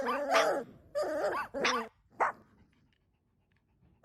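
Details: Newborn puppy at play, a recording also said to include hiccups: three drawn-out, wavering whines with rich harmonics, a short yelp, then near silence and a brief sharp note at the end.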